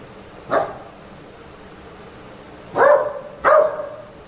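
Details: Short barks from a Labrador Retriever puppy being pranked to check its protectiveness: one softer bark, a two-second pause, then two louder ringing barks in quick succession.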